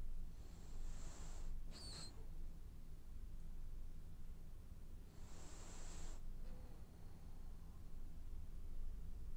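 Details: Sleeping, dreaming French Bulldog gives hissing, whistled snores, two long breaths roughly four seconds apart, the first cut by a squeaky nasal snort, with a quiet low background hum.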